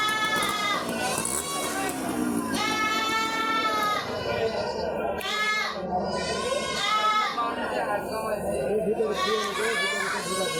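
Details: Goats of the Totapuri breed, kept for sale, bleat again and again in drawn-out quavering cries, four or five long calls over ten seconds, mixed with steady chatter of people nearby.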